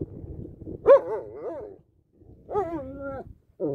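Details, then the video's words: German Shepherd dog vocalising in short bursts: two wavering, yodel-like whines of about a second each, separated by a silent gap, with low rumbling handling noise underneath at the start. "German Shepherd bursts into song!"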